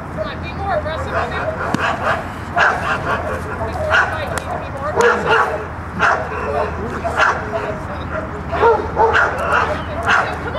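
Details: Dog barking during protection work, in the bark after the out while the handler is directed; sharp barks repeated roughly every second over steady talking from people nearby.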